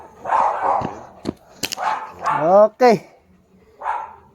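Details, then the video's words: German Shepherd barking in short bursts: a double bark, a single bark, then another later, with a man speaking Filipino in between and sharp clicks. "German shepherd"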